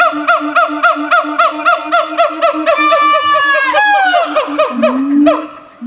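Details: Captive siamang gibbon pair at a zoo in Dubbo, Australia, singing together to claim territory and bond; rapid pulsing whoops repeat several times a second over a steady low boom, then sweep into a long descending wail and a deep rising hoot.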